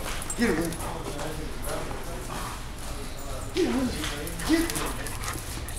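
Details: Dogs at play, a 10-month-old Mastiff chasing a 6-month-old corgi; three short, high yelping whimpers rise and fall near the start, middle and end, heard over a person talking throughout.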